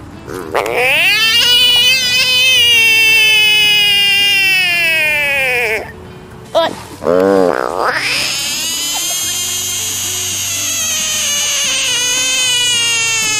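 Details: Frog screaming as if throwing a tantrum: a loud, drawn-out, nasal wail with rich overtones, held about five seconds and sagging slightly, then a short break, a brief arched cry, and another long steady scream.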